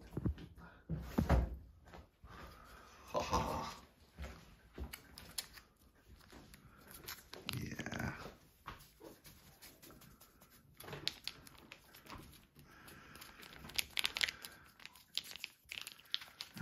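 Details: Pebbles, a house cat, vocal at morning breakfast time and demanding to be fed indoors; drawn-out meows bending up and down in pitch rise through clattering, handling knocks and a person talking in a small room.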